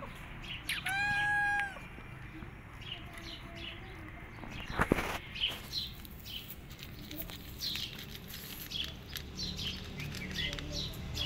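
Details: Mother cat with newborn kittens she is keeping hidden: one loud, short, harmonic-rich meow near the start, then a sharp knock and scattered faint high chirps and rustling through the rest.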